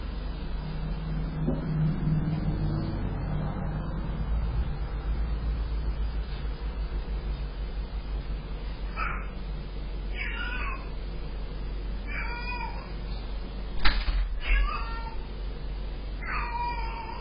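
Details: A Sphynx cat, caught on a security camera, greets its owner returning from a 24-hour road trip with a run of drawn-out, bending meows over a low rumble.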